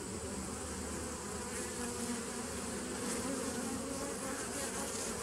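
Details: A 2017 nucleus colony of bees on 27 September 2018: a dense, pulsing hum of many insects, with faint rapid flutter in the drone and short rising whines of individual bees.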